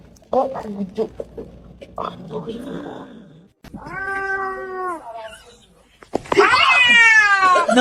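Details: A cat gives a steady, drawn-out meow, then a loud, high, strained wailing cry. Human chatter and clatter are heard beforehand.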